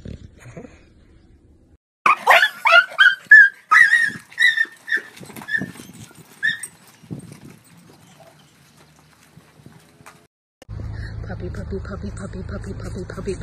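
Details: Rottweiler puppy giving a quick run of high, whining yelps over about three seconds, easing into softer whimpers and silence, followed by a humming background with a steady rhythmic tone.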